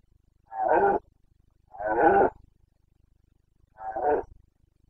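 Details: Carpathian red deer stag roaring during the rut in the Bucovina mountains, 29 September 2022: three harsh, hoarse bellows, each about half a second long, spaced roughly 1.5 seconds apart, against a quiet background.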